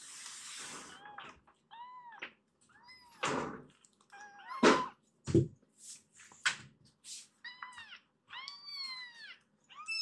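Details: Three foster kittens, Mo, Ash and Hana, rescued cats, meowing to be let out of their room onto the sofa indoors; many short high arched meows overlapping, some rising then falling, repeated rapidly with brief pauses and an early noisy hiss.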